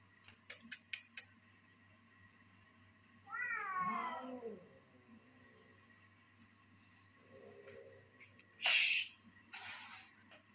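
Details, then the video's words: Twinkle, a house cat, clashing with a visiting cat: one long wavering yowl that bends up and down, a short low grumble, then two harsh breathy hisses in quick succession, with a few sharp taps early on and a constant low hum. "cat fight ... twinkle fight with another cat who visited our house"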